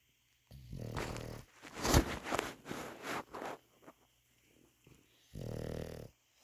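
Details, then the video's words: English Bulldog snoring indoors: two rough, buzzing snore rumbles, one near the start and one near the end, with breathy, shuffling noises between them. "English Bulldog Bacon snores"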